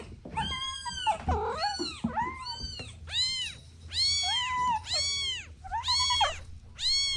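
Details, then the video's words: Soft meows from kittens playing with their mom and two siblings: a few short squeaky cries, then clear arched meows repeated about every second, over low background hum. "Sweet Kittens Playing Together | Soft Meows"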